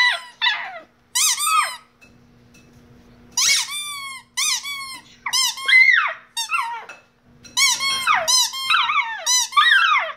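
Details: Shiba Inu dog singing indoors, giving repeated squeaky, yodelling howls that rise and fall in pitch, grouped in short bursts with brief quiet gaps and a faint steady hum beneath.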